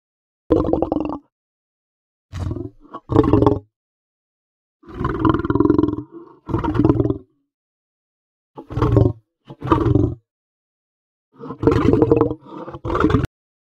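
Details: Lion making gruff, throaty snarls in uneven clusters, brief barks alternating with longer rasping growls, separated by clean silent pauses across about fourteen seconds.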